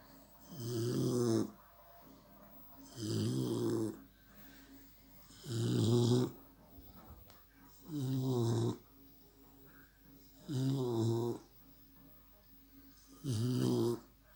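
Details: American Staffordshire Terrier puppy asleep and snoring: six low, rumbling snores arrive roughly every two and a half seconds, each a raspy, breathy rattle, with a hushed indoor quiet between breaths.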